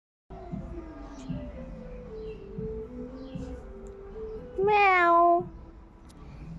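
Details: A domestic cat, apparently sleepy, gives a single loud, drawn-out meow that falls in pitch after about four seconds of soft human speech addressing it.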